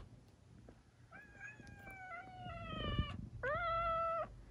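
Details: A kitten gives two long, drawn-out meows, the first slowly falling in pitch over about two seconds, the second shorter and steady, over a low background hum.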